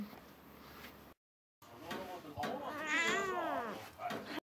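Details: Indoor domestic cat making noise at a stray cat that uses the path around the house. After a short pause come loud, drawn-out wavering meows that rise and fall in pitch, with strong harmonics. Faint room background.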